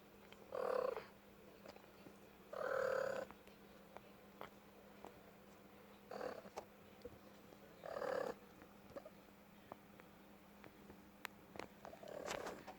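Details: Indoor pet cat giving short, muffled, nasal calls of under a second, repeated at uneven intervals of two to five seconds over faint background hiss and clicks.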